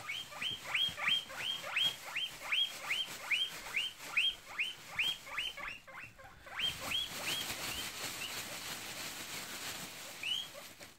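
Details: Guinea pig; wheek call; asking for food when hungry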